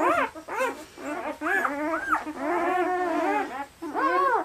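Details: A litter of eight German Shepherd puppies, two days old, bred in Maine; a chorus of thin, wavering whines with arched and sliding notes, some held longer, from several pups squealing together.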